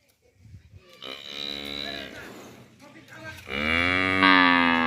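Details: A village farm cow gives a nasal, wavering moo, then a louder, brighter second moo building in strength, with low background rumble and a brief rustle before the first call.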